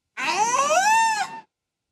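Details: Wiki, a 14-year-old female killer whale, imitates the word "hello" in a single strained, harmonic-rich rising and falling cry, mimicking human speech.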